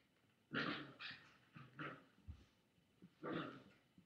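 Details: Chihuahua confronting a boy with a toy, captured by webcam on an August 2011 afternoon; short, gruff growling bursts, two close together near the start, then quieter snorts and a final louder rumble.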